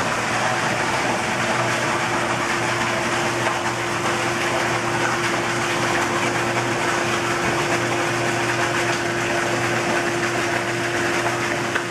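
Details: Loud continuous rushing water and pump noise with a low steady hum throughout and no animal call.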